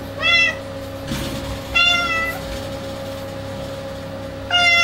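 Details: A clouded Bengal cat gives three short, bright meows, spaced a second or two apart.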